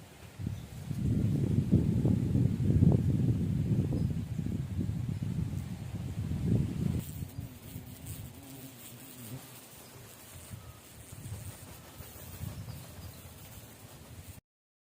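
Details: Hundreds of thousands of giant honey bees, Apis dorsata, relocated and released in the morning at the PGP agricultural college in Namakkal; a loud, low, droning swarm buzz swells for several seconds, then fades to a quieter hum.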